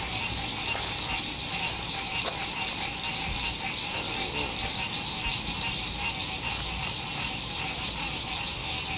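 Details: Frogs singing at sunset beside a lake at a campsite in spring 2021 in fine weather: a dense, steady chorus of many callers forms a continuous high trilling wall of sound, with faint background hiss.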